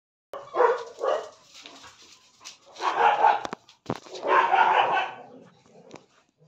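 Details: Long-coated German Shepherd puppy in Ranchi, India, giving about four rough, harsh barks in two pairs separated by a pause, with clicks and faint background noise between them.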